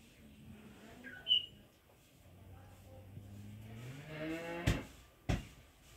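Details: Village cow called Punyakoti lowing: a low, drawn-out moo lasting about two seconds that swells and bends upward in pitch at its close, preceded by faint low hums, with a brief high chirp early and two sharp knocks near the end.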